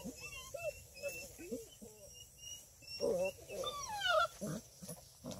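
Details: Nearly six-week-old female Redbone Coonhound puppies in a litter near Kingston, Ontario, Canada: high rising and falling whines, squeals and little yelps from several pups at once, busy and playful, over a faint background hum.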